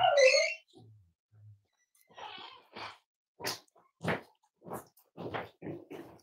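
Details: Five-week-old Cavalier King Charles Spaniel puppies from Myra and Remy's litter, indoors at Red Barn Cavaliers on a chilly Thursday morning during weight checks: a high squeal opens, then short rough grunts and yips follow roughly every half second.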